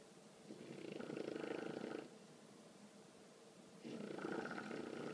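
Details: Female English bulldog puppy, 20 weeks old, sleeping and snoring loudly, a habit begun a few days earlier; two long rattling breaths, each lasting about one to one and a half seconds, separated by a quiet pause, in a quiet room.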